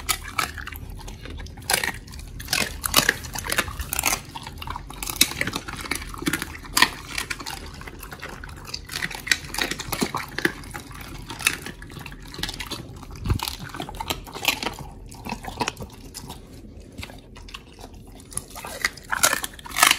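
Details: Oli, a Pit Bull, eating raw meat: wet, crunching bites and sharp clicking chews come in irregular, rapid bursts, with soft smacking between them.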